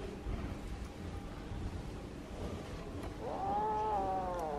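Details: Kitten calling when it wants to tell something; after quiet, one drawn-out tonal meow rising then holding level for about a second, clear and harmonic, over soft room noise.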